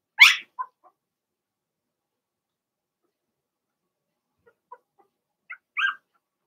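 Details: Young Blenheim Cavalier King Charles Spaniel puppies from a litter of six in a home puppy pen: one sharp high yelp, a pause of several seconds, then a couple of faint squeaks and a short whine.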